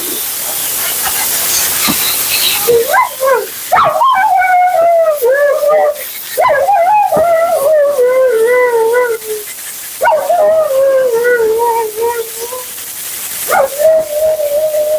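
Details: Mila, a female Siberian Husky at her second-ever groom, talks through her bath: long wavering howl-like moans around a steady pitch, sliding down at the ends, in several drawn-out phrases over a constant hiss of water or dryer.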